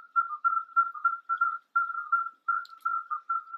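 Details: Male common midwife toads sing in the evening on land from shelters near ponds to attract females, giving short, pure, crystalline bell-like piping notes in quick overlapping succession.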